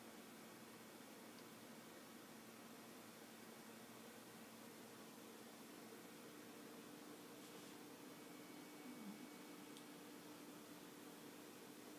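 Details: Quiet steady hiss like a fan or air conditioner fills a small room, with a faint hum and no clear animal sound.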